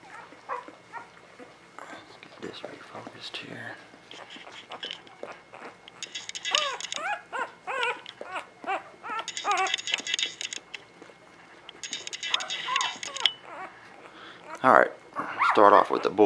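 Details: Eleven newborn pups of Ava and Jericho, born spring 2017, nursing beside their mother in a small room. High arched squeals come in clustered bursts that grow louder toward the end, mixed with a man's voice.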